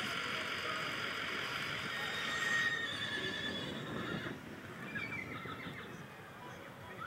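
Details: Big bay Tennessee Walking Horses on a track in Douglassville, Texas, warming up before a trail ride; a drawn-out, wavering high whinny over steady background rumble, then a second, falling whinny fading out.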